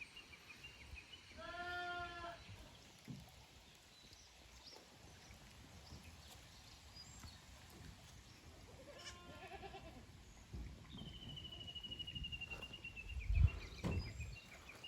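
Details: Young goat kids from the lower pasture visiting the upper pasture at Yoshigake goat farm, Japan, 15 May 2024: two short, wavering, harmonic bleats near the start and middle, with a thin bird whistle and soft outdoor rustling behind.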